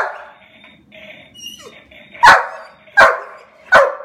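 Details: Excited black German Shepherd whines in a thin, wavering tone at first, then lets out three loud, abrupt barks spaced about three quarters of a second apart.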